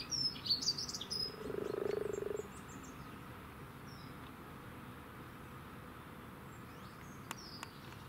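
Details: Group of wild common frogs mating by their spawn, Cambridge, UK, late morning of 8 March 2019: a rattling, purring croak of about one second follows bright bird twitters at the start.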